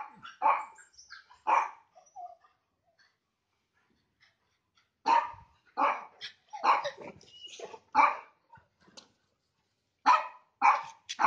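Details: Labrador and Rottweiler meeting the neighbourhood Beagle and Lhasa Apso over the fence; sharp barks come in clusters separated by quiet gaps, several dogs sounding off in quick succession.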